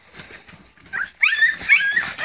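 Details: Springer spaniel puppies at a meal of puppy mash, with near silence before a burst of thin, high whimpers and squeals from several pups as a woman speaks to them.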